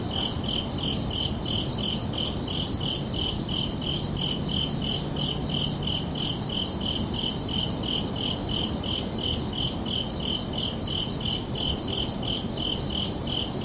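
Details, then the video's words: Crickets chirp under a peaceful night sky on a summer evening: rapid, regular high pulses at roughly three per second, with a faint low hum for a few seconds and a steady rumble behind. "Calming Cricket Sounds for Relaxation"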